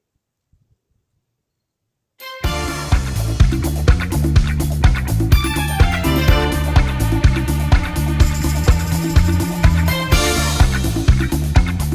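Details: About two seconds of near silence, then loud upbeat disco-style music with a steady driving beat and bright synth tones to the end.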